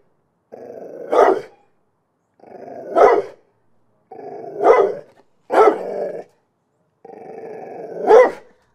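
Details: Dog gives a low rumbling growl that swells into a sharp bark, the pattern repeating five times with short silent gaps.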